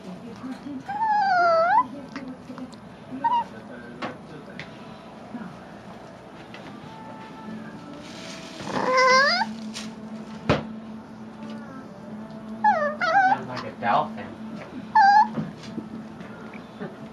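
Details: Chihuahua chewing on a bone while being teased, giving squeaky, dolphin-like growls. Short wavering whistle-like squeals rise and fall in bursts near the start, middle and end, with quieter low rumbling between and a steady low background hum.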